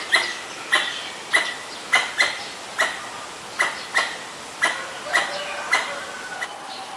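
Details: Pallas's squirrel (Callosciurus erythraeus) in Ubon Ratchathani, Thailand, 1 January 2023, sounding off at danger, captured on a Nikon P1000: loud, clipped barking chucks repeated roughly every half second, some doubled, over quiet background.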